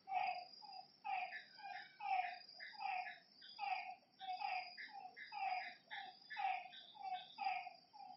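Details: Frogs by a lake after dark, their ringing, multi-toned croaks repeating about once a second in a regular rhythm, backed by a faint constant insect buzz.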